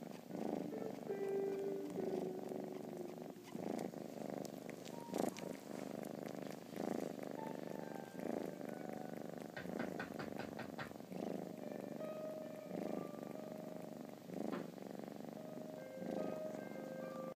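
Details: Indoor purring from a three-month-old kitten sucking on its own blanket while curled against its owner; continuous low rumbling purr in rhythmic breath pulses, with faint television sounds and brief clicks in the background.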